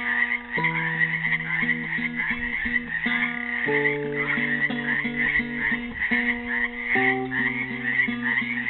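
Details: Frogs trapped in a pool in Helix, Oregon, on Earth Day 2016 form a dense, continuous chorus of high, rattling trills, while a classical guitar plays a slow plucked melody of repeated low notes and chords over them.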